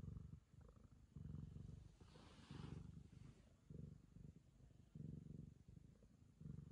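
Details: Ragamuffin cat licking the owner's daughter as a sign of affection, purring in low rumbling bursts about a second long, with a soft broadband rustle of licking or movement near the middle.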